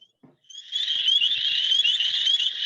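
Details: A dense chorus of male spring peepers calling to females at a wetland in Maine in spring: shrill high peeps overlapping continuously with a thin trill.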